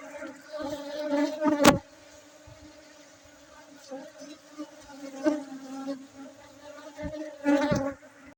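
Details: Aceh honey bees, Indonesia: a continuous low humming drone with a clear overtone, brief louder buzzing passes early and late, a sharp knock near the start and quieter stretches between.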